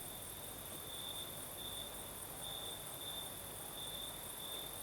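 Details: Crimean crickets at night, southern coast, night breeze: one sustained high-pitched trill rising and falling in volume about every half second, over a constant soft rushing wind.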